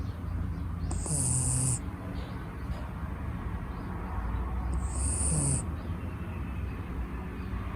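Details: Six-month-old red female Shiba Inu puppy named Mochiko asleep and snoring; a deep, continuous rumble broken by two sharp, whistling-hiss breaths roughly four seconds apart, with no other sounds.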